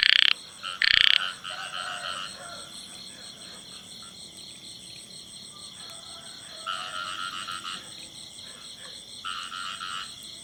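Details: Male frog calling in a field: two loud abrupt croaks open the recording, later answered by softer, longer croaking bursts, over a steady high-pitched insect drone throughout.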